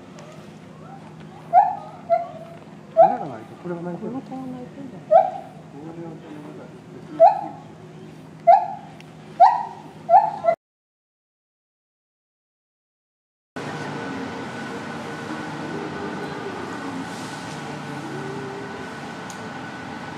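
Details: At Higashiyama Zoo and Botanical Gardens in September 2023, a gibbon sings a run of rich, hooting notes that swoop up and down about a second apart, quickening near the finish; then a muffled hum with faint voices follows.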